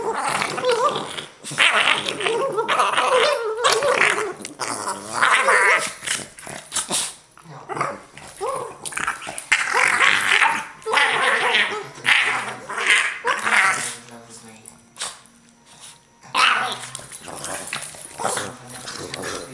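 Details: Two Boston Terriers in a bitey-face play fight, a near-continuous run of rough growls, snarls and grumbles in uneven bursts with a few short barks.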